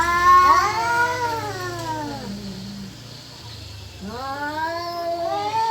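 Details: Yowling domestic cats, possibly mating or spoiling for a fight: a long wail that slides down into a low growling moan, a pause, then another rising, wavering howl.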